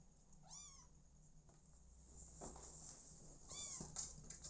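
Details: Kittens without their own mother, now cared for by an adopted mother cat, give two thin rising-then-falling meows about three seconds apart, with light scuffling and a constant low hum behind them.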